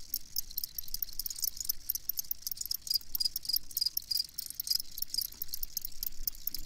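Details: Crickets chirping in a steady high-pitched trill, with dense rapid pulses and scattered sharp crackling clicks over a quiet low background.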